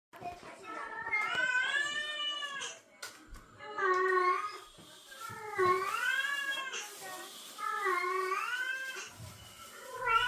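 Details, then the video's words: Domestic cats in the breeding season, a female in heat reacting to a male's calls: long, wavering, harmonic-rich yowls rising and falling, several in sequence with short gaps, a person speaking softly in a small indoor room. "암컷 고양이는 수컷 고양이의 부르는 소리를 듣고 어떤 반응?(雌性🐱听到雄性🐱的声音有什么反应）"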